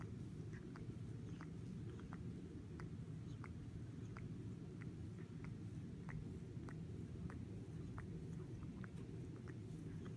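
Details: Spice, a fluffy female pet cat, purring while grooming herself indoors: a steady low rumble runs throughout, overlaid with quick, soft licking clicks every half second or so.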